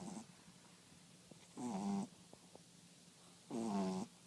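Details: French Bulldog snoring: two loud, buzzy, rattling breaths with a nasal rasp, separated by about two seconds of quiet room hum.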